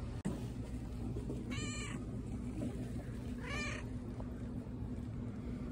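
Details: Patti, a cat at a pet store, gives two short meows about two seconds apart, each a clear harmonic cry that rises and falls, over a steady low indoor hum.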